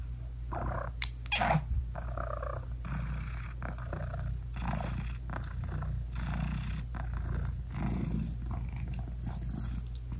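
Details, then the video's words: Purring British Shorthair mother cat hugging and nursing her newborn kittens with closed eyes; a deep continuous purr throbs throughout, with a brief soft squeak and some rustling near the start. "Cat Purring Meowing 🥰Sweet Mommy Cat Talking to her Cute Tiny Kittens 😘British Shorthair Cats"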